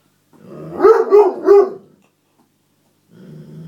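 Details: Otterhound–Spinone cross male dog protesting that his seat was taken: three loud, drawn-out yowling barks close together, followed by a quiet low grumble.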